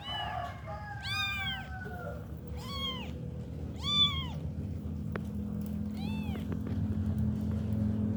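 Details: A kitten one week old cries repeatedly, with about five sharp, high, arched meows coming roughly every second, the first sliding down slowly, against a low steady hum and occasional soft clicks.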